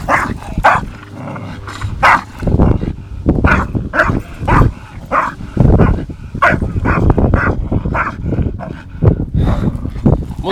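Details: Two dogs in rough play, Tyson an 8-month-old Staffordshire Bull Terrier and Viper a 2.5-year-old English Bulldog; irregular flurries of barks, yips and growls mixed with thumps and scuffling.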